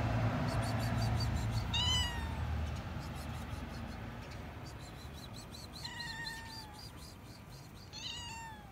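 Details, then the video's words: Hungry stray cat returning to a rooftop and meowing for food, giving three clear, slightly falling meows a few seconds apart over steady low rumbling noise, with faint voice-like murmur early on. "the stray cute 🐈 cat came again on the roof and meowing for food!"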